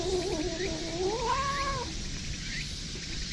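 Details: In September 2021 in a park, a community-cared-for stray brown tabby cat, pleased at being patted on the lower back, gives a long, wavering, hum-like "singing" meow rising and falling over about two seconds, faint steady hiss behind.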